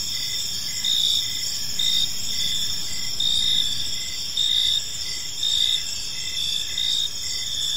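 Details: Gentle evening cricket chirping in a park, a high shimmering chorus punctuated by louder pulsed bursts roughly every second, with faint low background rumble.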